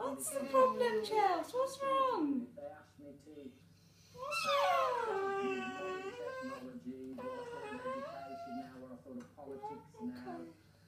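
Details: Whining and whinging from a female English Bull Terrier that often does this when wanting food or attention; long moaning, wailing cries that rise and fall, bursts of bending high whines separated by short pauses and quieter groaning.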